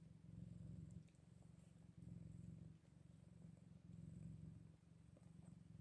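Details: Eight-day-old Scottish Fold kittens: a steady, low rumbling purr runs in long pulsing stretches, dipping briefly near one, two and four seconds, with faint soft clicks above and no other clear sounds.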